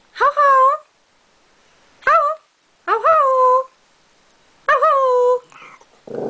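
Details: A male Maltese dog "sings", giving four drawn-out, tuneful howls that sound somewhat like "hello", each with a rising-then-falling pitch and about half a second long, with a brief human voice at the end.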